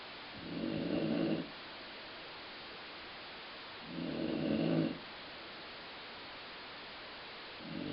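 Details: Colline the dog asleep and snoring, the sound compared to a growling stomach; two drawn-out, grainy low rumbles about three seconds apart, a third starting at the end, soft hiss in the gaps.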